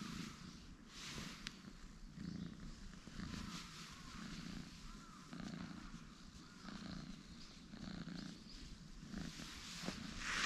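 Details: Orange tabby cat brothers, light and dark, stretching out and relaxing on a bench; a low, steady purr pulses in slow rhythmic waves about once a second, with faint high chirps and outdoor background hiss.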